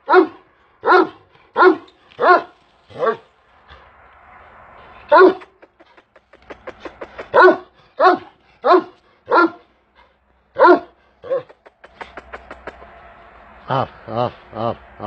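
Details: Big Kangal shepherd dog barking deeply and repeatedly, roughly one bark every second in uneven runs, some barks short and clipped, with brief pauses of low rumbling noise between.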